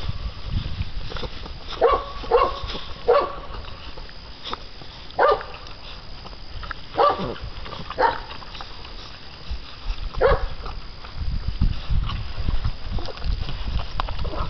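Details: Six-week-old American Bandog Mastiff pups going after a chicken on a pulley string in a tenacity and bite test; irregular short yaps and whines, some close together, over continuous rustling and thudding.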